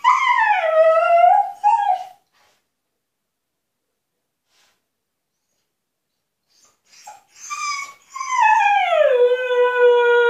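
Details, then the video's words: Husky Altezza, closed in her enclosure as punishment, demands freedom with wavering howls: a falling then rising howl, a long silence, yips, then another long howl gliding downward and holding steady. "Хаски требует свободы"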